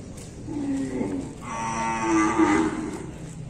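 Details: Bali cattle at bath time, one cow letting out a loud, drawn-out moo that swells in the middle into a brighter, strained tone, preceded by a softer lower call.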